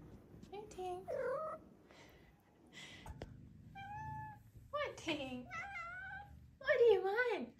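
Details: Five-month-old female Maine Coon kitten chattering indoors while a woman talks to her before feeding, a series of short varied meows and chirping trills, some rising and bending, mixed with the woman's voice.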